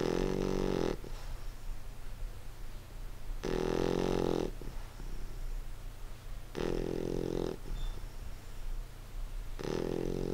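An English Bulldog snores loudly in rough, rattling breaths about every three seconds.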